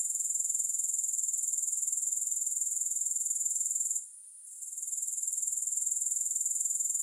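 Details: Shrill, rapidly ticking insect drone of grasshoppers that pauses for under a second midway, then picks up again evenly, with no music or voices.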